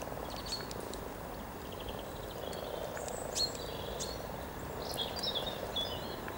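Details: Hundreds of common frogs mating in spring beside the riverside walk near Cow Tower, Norwich, on 7 April 2013: a steady low purring, croaking chorus rolls on beneath scattered high bird chirps and twitters.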